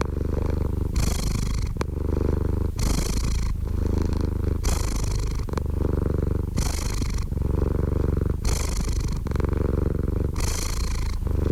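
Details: Contented cat purring right by the microphone, a thick low rumble broken into regular cycles of almost two seconds, each with a brighter, breathier half, plus a faint click near the start.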